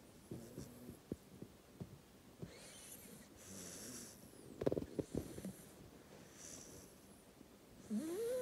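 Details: Sleeping 8-week-old black Labrador puppy named Dufy snores: airy breathing rasps around the middle and end, one ending in a thin rising whistle, with faint clicks and rustles scattered through.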